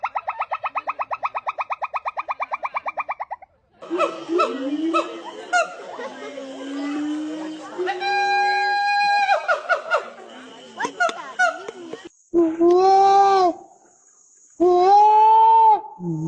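A run of varied monkey calls: a fast buzzing trill, chattering squeals, then wavering tonal hoots.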